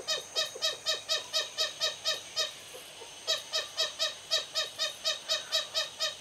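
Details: Lesser galagos (bushbabies) calling from a thatch roof at Raptor's View Wildlife Estate, South Africa, in the evening: two runs of sharp, ringing chirps at about two per second, split by a short silence.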